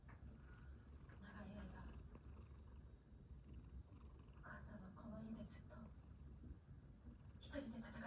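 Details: A relaxed house cat purrs continuously in a low, even rumble, while a woman talks softly in Japanese and small chirps are heard near the end.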